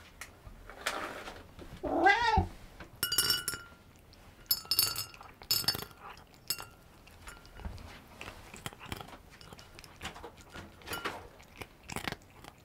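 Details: Cat eating dry cheese-flavoured kibble, a short rising-falling meow followed by crisp crunching and metallic clinks of food or bowl, then irregular chewing sounds.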